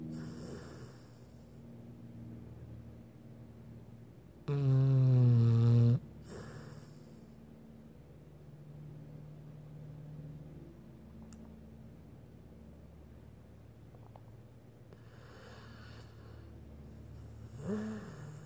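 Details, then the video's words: Sleeping Blue Pit Bull snoring softly and evenly, low droning breaths interrupted by one loud, rattling snore lasting over a second, then quiet breathing and a short rising snort at the close. "Dog snoring, Blue PitBull"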